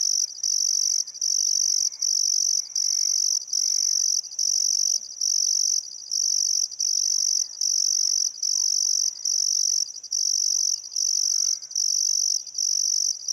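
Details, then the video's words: Crickets chirping on a still summer afternoon at sunset by the Barcoo River, Welford National Park, Outback Queensland, Australia: loud high trilled pulses with a harmonic above, in bursts about a second long separated by brief gaps, faint bird calls beneath. "Australian Sunset Chirping Crickets"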